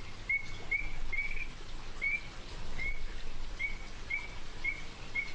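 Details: Whistled calls of the Illinois chorus frog, known in Arkansas only from its northeastern corner: about ten brief, high, slightly rising notes repeated roughly every half second against a constant low rumble.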